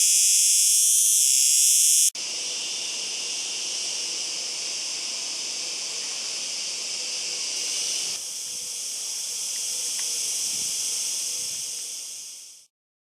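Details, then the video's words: Singing cicada producing a continuous shrill buzz, loudest and harshest in the opening seconds, then settling into a steady high drone that swells slightly before ending abruptly. "Cigarra .Datos y Características y sonido"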